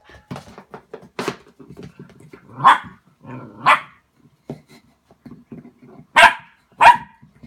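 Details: Border Collie reacting to its own reflection in a mirror indoors, giving several sharp barks spaced about a second or more apart, mixed with scuffling, panting and other soft household noises in a small room.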